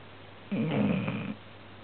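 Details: Domestic dog snoring loudly while asleep indoors; a single rough, rattling snore of under a second rising out of a steady low hum of room noise.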